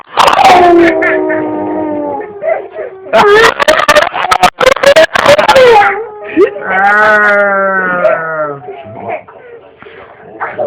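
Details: A dog making drawn-out, wavering howl-moans shown off as talking: a long falling moan, then a burst of human speech, then another sustained, rich-harmonic howl that slowly drops in pitch, ending in softer whines.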